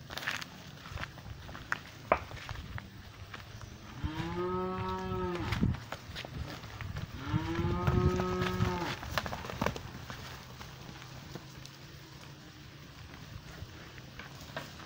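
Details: Cows mooing in a pasture, one black cow coming close: two long, deep, drawn-out moos, the first starting near the fourth second and the second after a short pause, over steady low rumble and scattered clicks.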